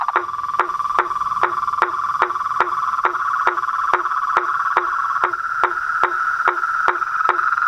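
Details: At dusk beside a house's reservoir pond, toads, frogs and treefrogs keep up a continuous buzzy trilling chorus, punctuated by regular hollow clicks about twice per second throughout.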